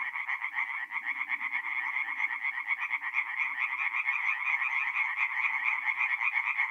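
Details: Tree frogs at an Italian forest pond on an April night, north-east Italy; quick pulsed rasping calls stack into a throbbing chorus, individual pulses audible, with soft low background rumbles.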